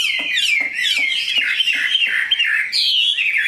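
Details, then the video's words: Tame pet Chinese hwamei, big-bodied, with a fine voice, pouring out a loud, fluid whistled song, with long wavering phrases and faint rhythmic ticks at the start. "Mi họa thuần, bộ to, chất giọng cực hay"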